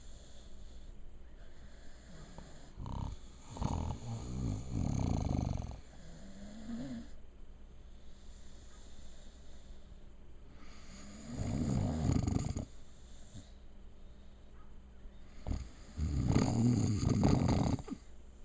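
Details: Sleeping female puppy snoring indoors, three long rasping low snores spaced several seconds apart, each a rough, rattling burst lasting about two to three seconds, with quiet breathing between them.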